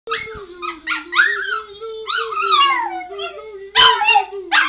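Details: A pet dog howls and barks in reply when a man sings the word "you"; drawn-out, falling, wavering howls with short yelps over a man's steady sung note, several overlapping dog cries in uneven bursts.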